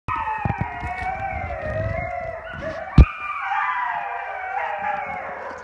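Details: Group of coyotes surrounding a camp, howling together: several overlapping wavering howls hold long sliding tones that rise and fall over one another, with a sharp click midway and a low rumble of background noise underneath.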